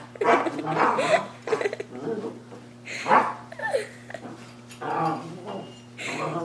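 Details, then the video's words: Dog back inside after a walk, producing snuffly pig-like grunts and snorts in uneven bursts with brief squeaky tones, over a constant low hum. "Crazy dog making pig noises"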